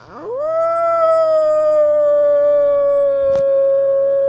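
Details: Wolf of North Eurasia howling while walking: a long, steady, tonal howl that rises quickly at the start and then holds level with a slight downward drift, with a faint low hum beneath and a brief click near the end.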